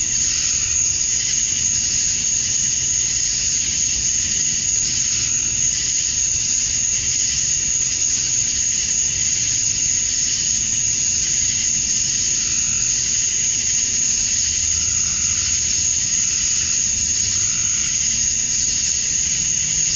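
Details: Georgia, USA, summer dusk: a chorus of male cicadas singing to attract females forms a steady, ringing, high-pitched wall of sound that holds level, with a persistent sharp tone and faint low rumble beneath.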